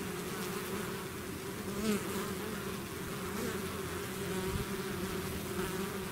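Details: Swarm of bees leaving the hive, a thick unbroken buzz with a steady low drone and harmonics, one bee flying close near the two-second mark.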